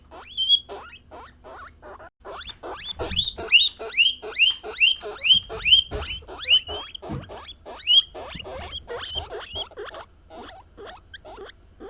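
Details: Female pet guinea pigs of Peruvian, English and Teddy breeds vocalising, said to voice their feelings; brief soft squeaks, then a long series of loud, rising, piercing wheeks, roughly two per second, fading to quieter chirps.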